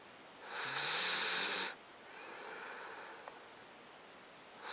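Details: Alaskan Malamute puppy Titan, nine weeks old, asleep and snoring: one loud wheezy, hissing inhale of about a second, then a long faint breathy exhale and a tiny click.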